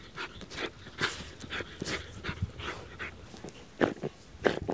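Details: Two Patterdale terrier bitches, Tangle at 6 months and Tink at 2.5 years, digging in mole hills for moles as a workout; quick breathy panting and snuffling bursts, about two per second, mixed with scraping of earth.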